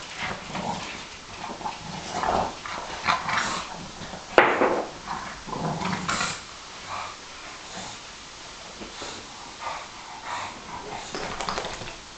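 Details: Play fighting on a couch among a Bulldog, a Sarplaninac and a Staffordshire bull terrier, Bob and Alfie among them. Irregular low growls and grumbles rise and fade, broken by a sudden sharp yelp and steady scuffling.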